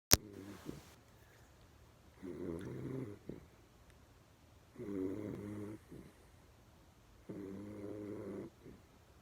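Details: Dog named Berry sleeping with eyes half open, snoring fairly loudly indoors: harmonic, buzzy snores about a second long, repeated roughly every two and a half seconds with quiet pauses between.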